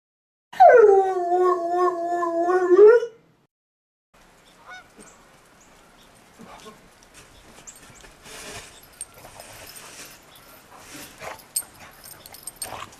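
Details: Two rescue dogs, Roe and Bella, a Shar Pei and a Bernese mountain dog–pit bull mix, wrestling and tackling in the snow; one drawn-out, wavering howl-like cry of about two and a half seconds, then soft crunching scuffles.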